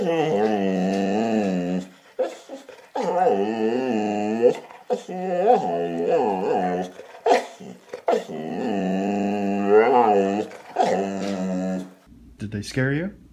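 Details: Dog 'talking' in a run of growly, moaning phrases of one to two seconds each, with wobbling pitch and brief pauses between them, a human voice briefly audible near the end.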